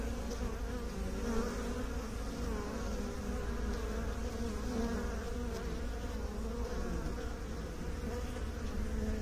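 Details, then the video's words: Steady, low-pitched drone of many bees kept by beekeepers, a full humming buzz with stacked tones that waver slightly, holding constant throughout. "Bee song"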